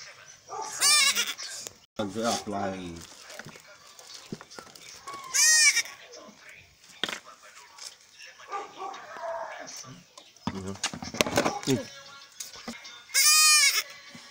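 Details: Three-week-old male goat kid being castrated, with short, loud, quavering bleats at intervals among people talking and handling noises.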